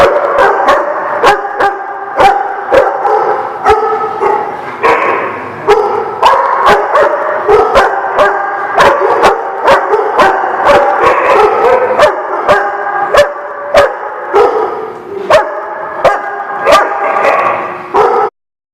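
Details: Dogs recorded 2/11/17 give a dense run of short barks, nearly one per second for eighteen seconds, layered over continuous whines and yelps from more dogs, then abrupt silence.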